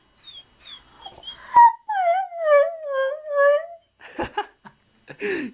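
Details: Indoor husky 'talking' because he wants his mammy: a sharp whine, then a drawn-out wavering moan of about two seconds with rich overtones, followed by a woman asking whether he wants his mommy.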